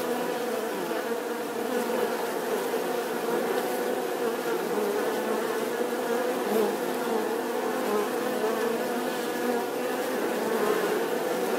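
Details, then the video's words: Continuous bee buzz lasting over ten seconds, a dense, even hum with faint wavering in pitch and small rises in loudness, no other animals heard. "Tiếng kêu của con Ong || The sound and picture of the Bee"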